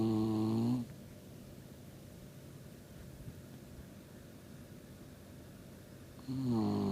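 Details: Deeply sleeping Shiba Inu snoring indoors: a low, droning snore fades out at the start, then after a long quiet pause of room hiss a second breathy snore swells in near the end.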